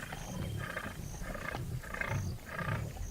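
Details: Lion of a Luangwa River pride in Zambia, Africa: a series of deep grunting pulses roughly every half second, with a faint high whistle-like tone recurring in the background.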